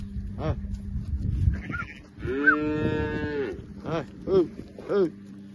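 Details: Recently calved heifers with calves, recorded at Capim Grosso, Bahia. After a noisy start, one drawn-out tonal moo lasts about a second. Several short, clipped calls follow it, over a constant low hum.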